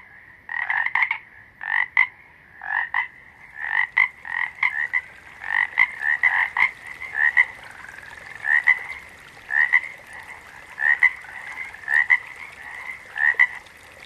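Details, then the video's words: Frog calls in nature: a long run of short, raspy double-pulsed croaks, densely packed at first and then spaced roughly a second apart, possibly overlapping callers, over a continuous high-pitched background drone. "Frogs - Nature Sounds"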